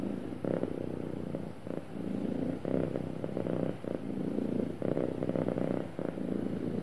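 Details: Purring cat described as happy, a smooth deep buzzing rumble pulsing with each inhale and exhale roughly once a second, steady and unbroken.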